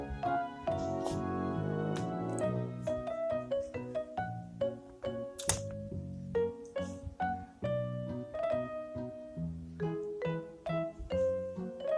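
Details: Gentle piano music plays throughout with a steady melody of struck notes, and no animal voice can be heard.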